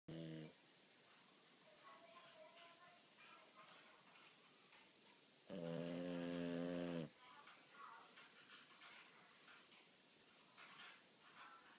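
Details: Sleeping French Bulldog kept as a family pet, snoring very loudly indoors: one long harmonic snore near the start and a louder, buzzy snore lasting about one and a half seconds mid-recording, quiet room noise between.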